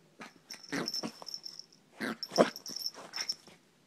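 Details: Bentley the pet dog, going nuts inside a small room, gives a string of short, hoarse, wheezy barks and wails in two bursts, the loudest near the middle. A faint steady high whine lies underneath.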